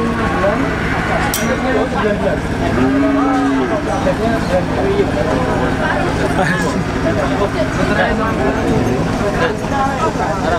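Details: Contest cattle at a live weighing event give one short, low, steady moo lasting under a second near the three-second mark. Constant crowd chatter, a loudspeaker voice and background hum surround it.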